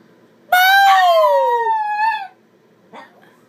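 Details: A Chihuahua puppy sitting in a chair howls in response to a noise its owner makes, a high, tonal, wavering howl of nearly two seconds that falls in pitch, then a faint, brief yip.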